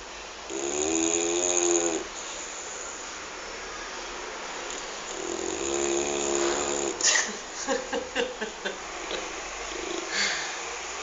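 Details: Petter, a dog, snores while asleep with two long rasping breaths, each about one and a half seconds, then wakes; a woman speaks softly afterwards, with small clicks and rustles.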